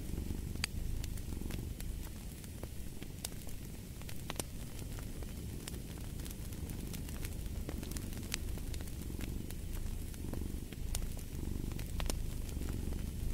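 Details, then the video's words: Low, continuous cat purr beside a crackling fireplace, its breath-cycle pulsing less distinct here, overlaid by frequent snapping pops from burning wood. "the Purring of a Cat"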